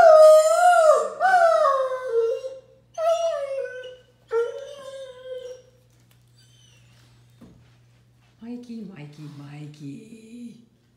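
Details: Mikey, a Great Dane kept indoors, howls along with his howler ball toy. Several loud, falling, wavering howls come in separate bursts with short pauses between them. Near the end there is a quiet stretch, then a person talks.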